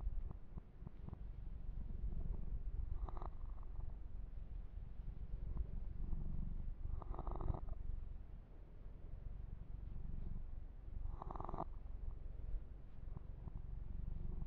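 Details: Deep continuous purring from a pet kitten, Yumak, as he is massaged and groomed, steady low rumble broken by louder brushing sweeps of fur roughly every four seconds.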